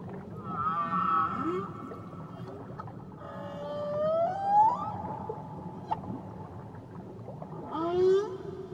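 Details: Tahiti whale song with slow, bending tonal notes. One long cry sweeps upward, then short rising yelps and a bright harmonic upsweep near the close, all over a constant low hum of water.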